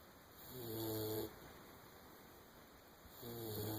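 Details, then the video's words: Sleeping English springer spaniel puppy snoring: a long droning buzzy inhale, then silence, then a second rough snore starting about two seconds later, with a constant faint high-pitched whine behind. "the snoring Springer"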